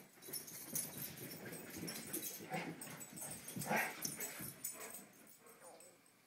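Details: Dogs playing energetically, with scuffling, soft whimpers and short yips scattered through a busy, noisy scene.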